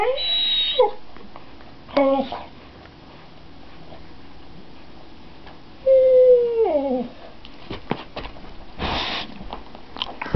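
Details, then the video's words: Addie, a pet dog, makes crazy, annoying noises indoors: high whistling whines and descending squeaky moans, with short gaps between bursts and a brief noisy burst near the end. "Addie's annoying noises"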